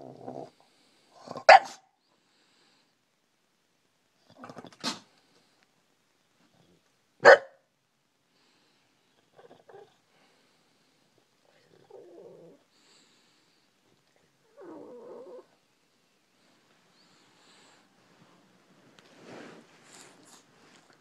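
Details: Bulldog named Brutus waking his owner with three sharp, separate barks about three seconds apart, then only soft, faint grunts and snuffles spread across the quiet remainder.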